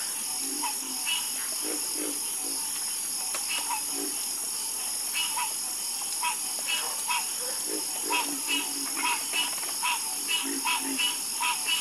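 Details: Frogs croaking in a night chorus, short pulsed croaks at several pitches overlapping irregularly over a steady high insect-like hiss.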